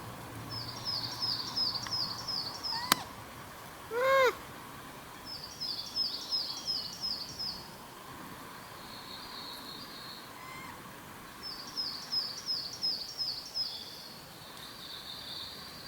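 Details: Wild Japanese macaque calling, apparently communicating with companions: a single short, arched, tonal coo with stacked harmonics midway through, set among repeated bursts of high, rapid chirping from birds and a steady background hiss.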